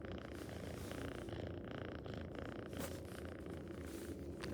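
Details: A domestic cat purring: a steady, low rumbling pulse that runs without a break through the whole stretch, with faint higher rustles now and then.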